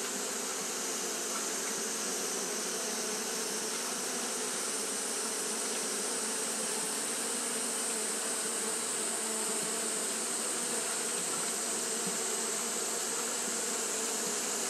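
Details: Continuous buzzing of Japanese honey bees fanning in hot weather: a thick, constant hum with stacked low tones and a strong high-pitched hiss band, slightly fluctuating but never stopping.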